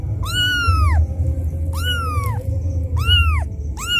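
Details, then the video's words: Kitten left behind by its mother, crying loudly as if calling for her: four high, arched, wailing meows, each rising then falling and lasting under a second, over a steady low hum. "Suara anak kucing menangis memanggil ibunya"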